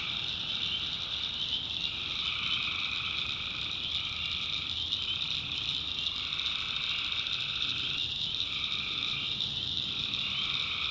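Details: Tree frogs calling at night in a North Carolina backwoods swamp. A dense, steady high trill runs throughout, while lower buzzy bouts of one to two seconds come and go in overlapping waves from several callers.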